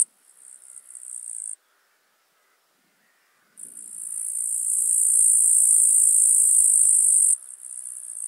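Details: Eastern green bush-cricket singing in Marz, Austria, 18 July 2022: a high buzzing trill that stops abruptly, two seconds of quiet, then a long loud continuous trill building in volume before dropping to a softer buzz; faint low background rustle.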